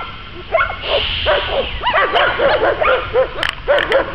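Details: During dog training at Łódź's START stadium, an American Staffordshire Terrier barks in a fast, excited stream of short arched yaps, roughly a dozen in three seconds, after a brief quieter start.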